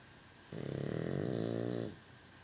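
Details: One loud rasping snore from Rosie, a sleeping pet dog, lasting about 1.4 seconds, rich in stacked low harmonics with a pulsing texture, rising in then fading, in a quiet room.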